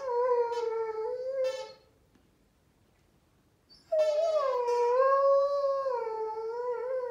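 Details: A Rhodesian Ridgeback "sings" along with a squeaky toy, giving sustained, wavering howls with rich harmonics, broken by a short pause.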